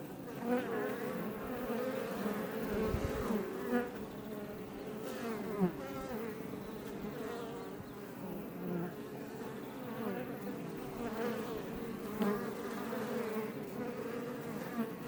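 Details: Crowd of Iberian honey bees outside a Langstroth hive near Roquetes, south Tarragona, Spain; sustained humming drone with rising and falling whines of passing bees and several brief louder flybys, plus a low thump near three seconds.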